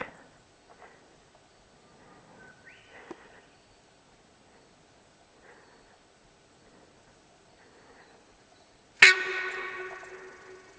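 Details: A small sambar deer stag, after sneaking close and picking up the recordist's scent, gives one sudden, loud, harsh honk after a long quiet stretch.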